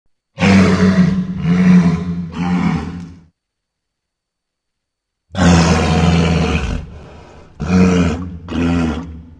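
A walrus gives loud, deep, rasping roars in bursts of about a second each.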